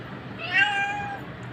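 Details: A single drawn-out meow from a cat called a wildcat, a steady tonal cry lasting under a second with a slight rise at the start, over faint low background hum.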